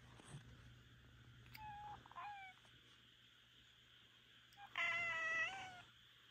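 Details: Rika, a Minuet cat, speaks up in the middle of the night: two short, faint meows, then after a pause one loud, drawn-out, harmonic meow that holds level before dropping. A steady low hum runs underneath.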